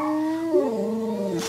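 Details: Pet dog howling to a recorder: one brief, smooth howl that holds steady, then slides downward and levels off lower before a short breathy noise at the end.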